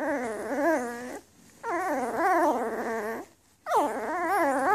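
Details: Three long, wavering puppy cries from a new litter of Afghan Hounds born to Donna and Amadeus in May 2014, each a harmonic whine swooping up and down for over a second, separated by short quiet gaps.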